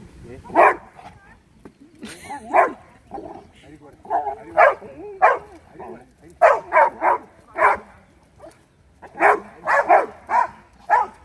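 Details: Labrador Retrievers, a pair of dogs, recorded 23 May 2020, barking in irregular bursts of single and doubled woofs across the whole stretch, with quieter human voices between barks.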